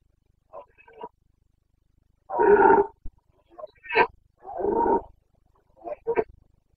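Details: Carpathian stag, a red deer in the Bucovina breeding season: a series of hoarse bellows and short grunts, two of them longer rough roars around half a second each, separated by brief silences.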